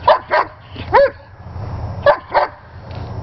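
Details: Sheba the German Shepherd barks during ball play: five quick, loud yaps in two pairs plus one, one bending upward in pitch, separated by short pauses with faint low rumble behind.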